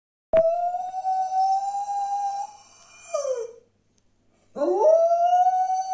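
A dog gives long, steady howls, pausing briefly before starting another rising howl.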